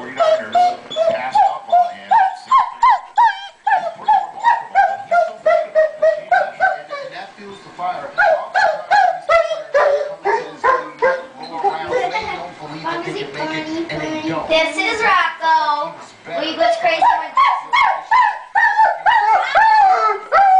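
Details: A male Weimaraner howls in rising, wavering cries, missing his best friend who has left for an outing.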